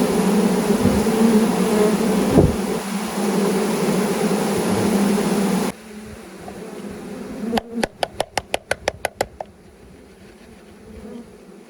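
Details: Several thousand honey bees poured into a new hive with their caged queen: a dense, even hum for about six seconds, then it drops quieter and a rapid run of sharp clicks follows.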